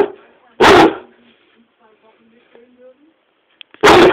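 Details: Swiffer, a pet dog, throws one of his many daily angry tantrums on the sofa indoors: two loud, harsh barks about three seconds apart, with a quiet room between them.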